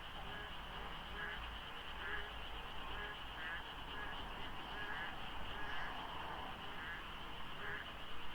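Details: Dawn in the rainy season at the Deokso IC highway interchange, lightly fogged, where frogs call in great numbers. Rhythmic low croaks pulse steadily beneath brighter, rattling calls about once a second, all over a faint background rumble.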